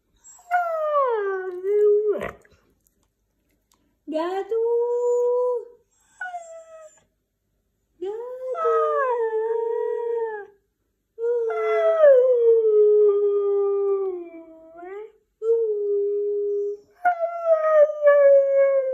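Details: White husky talking in a run of about seven whining, howl-like phrases, some rising, others sagging downward, with a sharp click near the start and short gaps between utterances.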